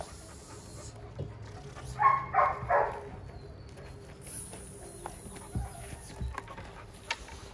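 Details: Jada, a female Giant Schnauzer puppy, during protection exercises: three short, harsh barks in quick succession near the middle, then quieter handling noises and faint clicks against a calm background.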